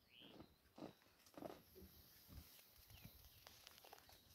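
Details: In the Sabi Sand Reserve, South Africa, a cheetah gives short, rough, purring bursts and a brief meow-like note instead of a roar.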